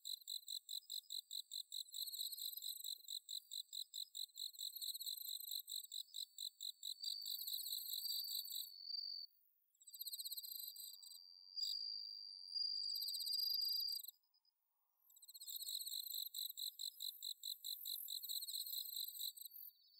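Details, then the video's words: Bell crickets and other crickets singing on an autumn night in Chiba, Japan: high pulsed chirps repeated rapidly and regularly, with a sustained ringing trill in the middle, a short silent gap, then the chirping returns. "秋の虫の鳴き声 スズムシ コオロギの鳴き声 秋の夜長"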